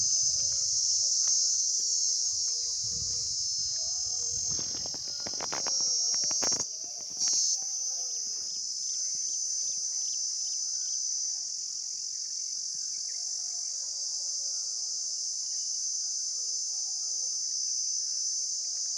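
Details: Insects recorded outdoors, giving a loud, steady, unbroken high-pitched hiss that fills the whole recording. Faint low tonal calls sit underneath, and a few sharp knocks and a brief dip in loudness come midway.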